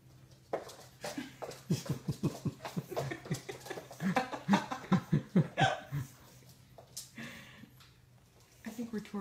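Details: Zoey, a female pug puppy indoors, protests her new harness with a rapid run of short, pulsing whiny grunts and moans over about five seconds, followed by a pause and a person's voice near the end.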